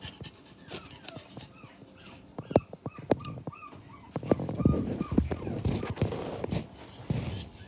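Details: Lively female Japanese Chin puppy, whining and yelping in short high rising and falling cries, clustered around the middle, with panting and handling noises and faint speech between.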